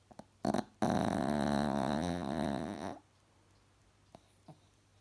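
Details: Cross-eyed pet Chihuahua Alfie sleeping and snoring: two short snuffles, then a sustained gravelly, vibrating snore of about two seconds that fades out into a quiet room.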